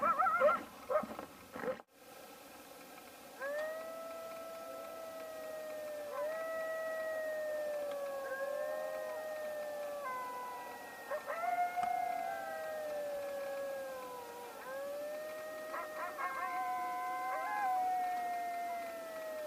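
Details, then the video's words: Coyotes gathered at a bison carcass: a few short yelps, then a chorus of long, smooth, drawn-out howls that rise and fall slowly, with several voices overlapping. "Coyotes | Sounds, Interacting, Fighting"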